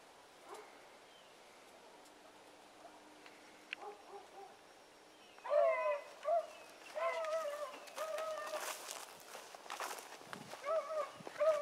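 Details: Training session with dog pups Sassy and Magnum and older dogs Ringo and Boone: quiet opening with faint calls, then a burst of overlapping wavering howls from several dogs mixed with rustling and thumping noises.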